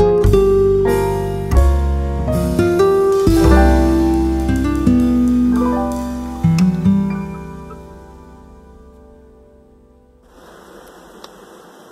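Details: Plucked string music, guitar- or harp-like, rings out and fades, leaving a quiet hiss at the end, with no animal heard.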